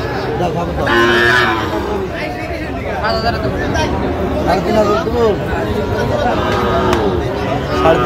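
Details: Sahiwal bull calves at a crowded cattle market on 12 August 2025, where a farmer from Shariatpur is buying: low, drawn-out lowing moos with harmonic layers rise above constant crowd chatter and bargaining voices.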